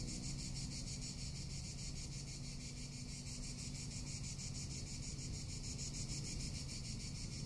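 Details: Cicadas in summer in Tuscany, Italy: a steady, high, rasping buzz pulsing in rapid even beats without pause, over a soft low rumble of wind.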